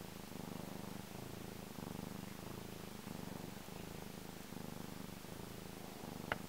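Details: Black domestic cat purring loudly while enjoying himself; steady low rumbling purr in rhythmic pulses of roughly a second each, continuous throughout, with a brief click near the end.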